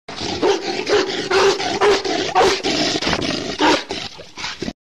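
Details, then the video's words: Angry sloth bear giving a rough, noisy roaring growl in rapid rasping pulses, about two per second, harsh and broadband across nearly five seconds with no clear pauses. "angry sloth bear"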